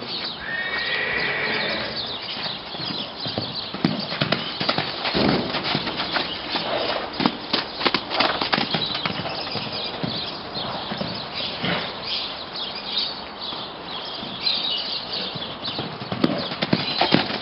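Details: Grey Andalusian broodmare, sixteen years old. A short, high, harmonic whinny comes in the first two seconds. Steady clip-clop of hooves follows for the rest, with brief human voices in the background.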